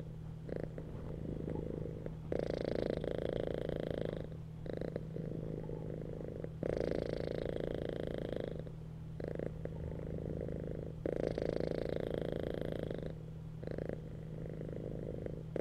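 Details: Relaxed house cats resting on a bed and purring; the throaty vibrating rumble rises and falls with each breath, several loud stretches of two to three seconds separated by softer gaps, above a continuous low hum.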